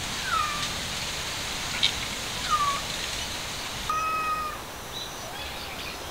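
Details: Stray cats and kittens seeking sunshine in a sudden cold snap; several thin, high meows, short and falling, spaced a second or two apart over steady outdoor noise.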